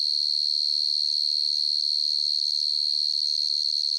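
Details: Cricket (dế mèn, dế cơm) chirping at night: a steady, high, pure-toned trill made of rapid pulses, unbroken for the whole stretch, with no other sounds.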